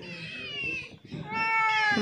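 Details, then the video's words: Sick cat with severe scabies, hungry, thirsty and unable to open its eyes, crying after coming to a house for help; two drawn-out, wavering meows, the second rising and louder, with low murmuring voices underneath. "KUCING INI MENANGIS DATANG KERUMAH KUCING UNTUK MINTA TOLONG"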